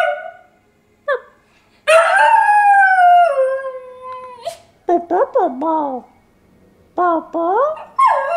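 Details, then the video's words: Singing dog Niles lets out one long, falling howl, surrounded by shorter wavering, rising-and-falling vocal bursts that may be voices. "Singing Dog Niles"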